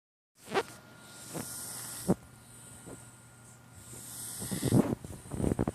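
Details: Sleeping cat snoring with soft, breathy puffs roughly every three-quarters of a second, growing into a louder, rougher snort-like burst near the end, with a faint steady hum behind.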